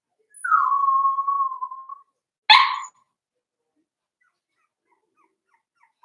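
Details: Daisy's Cavalier King Charles Spaniel puppies, four weeks old, in a puppy pen: a drawn-out, steady high whine lasting over a second, followed at once by a single short, sharp bark, then quiet.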